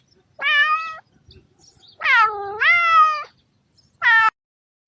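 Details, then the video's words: Cat meowing to draw other cats: a short meow, then a long wavering two-part meow dipping and rising in pitch, then a brief clipped mew, in a silent background. "Sounds that attract cats - Meow to make cats come to you"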